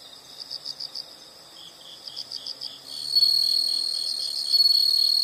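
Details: High insect chirps in rapid pulse groups for three seconds, then a louder, even, shrill buzzing trill takes over to the end.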